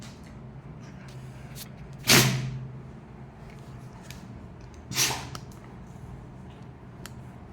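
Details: Two sharp bangs like a door slamming, about three seconds apart, over a steady low hum, with no animal sound.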